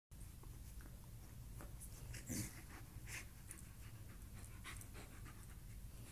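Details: Ruckus, a one-year-old American Eskimo Dog, plays indoors with his new cheetah toy. He pants steadily through the whole stretch, with a brief louder rustle about halfway through.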